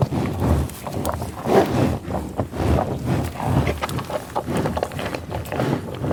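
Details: Grazing American bison on tall grass prairie, a steady mix of low grunting, sniffling and chewing noises with rustling of grass, dense and continuous without clear pauses.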